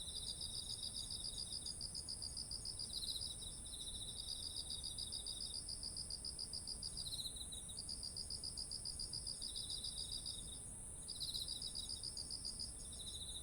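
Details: Insects calling in autumn beside ripened rice fields, bursts of fast high chirping pulses lasting two to three seconds, alternating with a lower chirp, backed by a continuous high-pitched ringing tone and soft ambient hiss.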